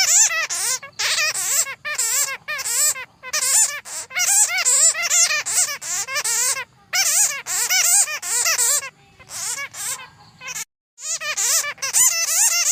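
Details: Bats, used to lure bats for trapping: rapid series of high, tonal chirps with stacked overtones, each sweeping up and down, in dense bursts broken by short silences.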